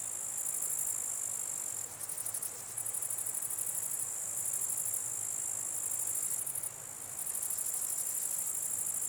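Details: Night chorus of many grasshoppers: an unbroken, shrill, hissing hum broken by bouts of rapid pulsing, with brief softer drops near two and seven seconds.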